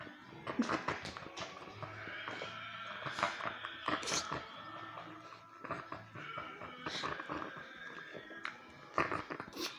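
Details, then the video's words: Pet dog indoors in a small room making weird noises while scratching his rear: drawn-out, wavering whiny tones that rise and fall, broken by sharp scuffling taps and scratching thumps, with a person's voice briefly in the background. "My Cousins Dog Making Weird Noises While Scratching His Butt"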